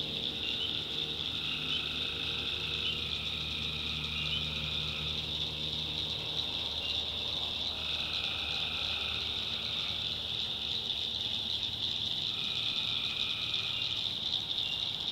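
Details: Continuous high chorus of tree frogs at night in North Carolina backwoods, with lower calling bursts roughly every five seconds and a faint low hum underneath.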